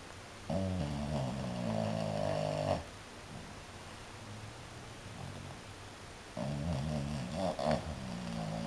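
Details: A French Bulldog snores with its eyes open, in long, rumbling, rasping breaths with quiet pauses between.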